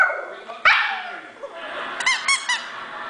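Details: Dog named Girlie barking: a sharp harsh bark near the start, then a few high, squeaky, whine-like yelps in quick succession toward the end, in a quiet indoor setting.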